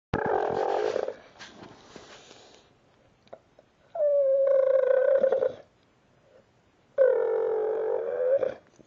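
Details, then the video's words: Dog making raptor-like noises: two long, rattling, purr-like trills, each about one and a half seconds with rich harmonics, follow a rougher opening burst and short pauses. A person talks to the dog in between. "dog makes raptor noises"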